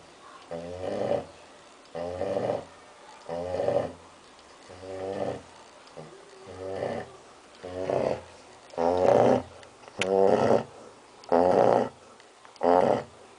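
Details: Young female Labrador Retriever, six months old, asleep after lunch, snoring in an even rhythm: rasping, throaty breaths repeated roughly every 1.2 seconds with quiet gaps between, louder toward the end.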